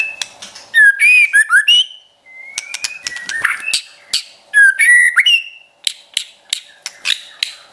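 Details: Caged white-rumped shama song used to stir up and train pet shamas: bursts of loud rich whistles and fast trills, a long flat whistle midway, more ringing phrases, then a series of sharp clicking notes.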